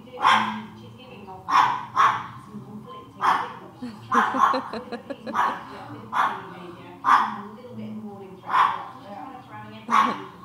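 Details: Pet dog excited while a dog appears on a TV show indoors: repeated sharp, high barks and yelps, roughly one each second, some in quick doubled bursts, with a woman's voice talking to the dog.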